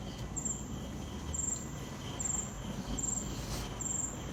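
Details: Crickets at night chirping in short, high, trilled bursts repeated roughly every second, steady and evenly spaced over a soft low background hum.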